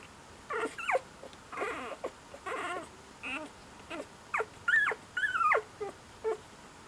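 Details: Cocker Spaniel puppy alternates breathy, wavering whimpers with sharper high squeaks that slide downward, about a dozen sounds in close succession.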